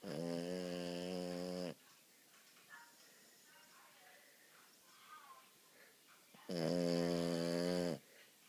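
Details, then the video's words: French Bulldog pet asleep indoors, snoring very loudly: two loud, buzzy, harmonic-rich snores, each about one and a half seconds long and roughly five seconds apart, with quiet breathing and faint room noise in between. "Snoring French bull dog"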